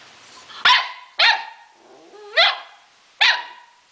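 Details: A 4-month-old Akita Inu mix puppy gives four sharp, high-pitched barks spaced about a second apart.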